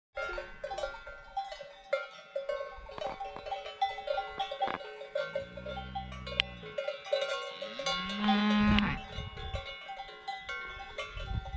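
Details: Mountain cows wearing hanging bells, lowing outdoors in the mountains: a steady low moo near the middle, then a shorter, higher, rising moo, all over constant irregular clanking of cowbells.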